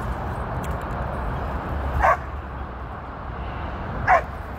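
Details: Thirteen-year-old female Border Collie on her first run with sheep, on her 13th birthday, 23 February 2023, in Long Beach, California, working with a trainer: two short sharp barks about two seconds apart over steady wind-like rumble.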